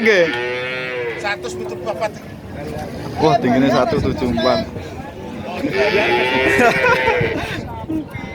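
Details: Cattle at a cattle market in Nganjuk, East Java; loud harmonic moos at the start and again near the end, with a dense mix of clatter, voices and background music in between.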